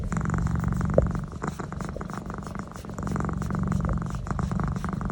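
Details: A pet cat making noise during a neck massage: a low, throbbing purr with rapid pulses, softening briefly near the middle before resuming, plus a small click of handling.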